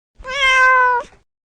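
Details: A single domestic cat meow: a clear, drawn-out tonal cry holding a steady pitch with rich stacked harmonics for about three-quarters of a second, ending in a brief breathy tail; no other sounds.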